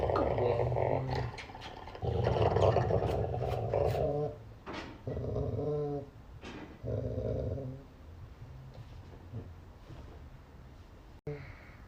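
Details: Pet dog greeted in the morning, making a long series of throaty, groaning growl-moans in rising and falling bursts, tapering into quieter grumbles, with a person's voice faintly heard between them.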